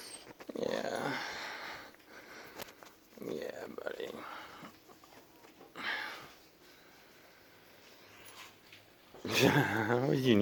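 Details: A female Golden Retriever greets her owner on coming home with wavering, moaning whines while a person talks to her.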